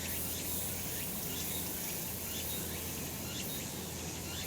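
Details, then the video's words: Cicadas on a sunny summer mountain: a constant high-pitched hissing chorus with soft pulsing swells and faint brief chirps, low rumble underneath. "セミの鳴き声 夏の山 日なた"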